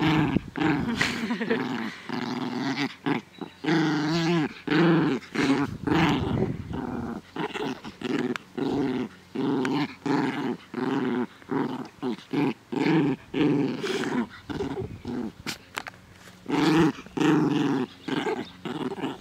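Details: A long run of play growls from Naja, a female dog, enjoying herself in a garden in good weather on 17 May 2014: throaty, rumbling growls nearly two per second, stopping and starting in uneven bursts with a short lull near the end.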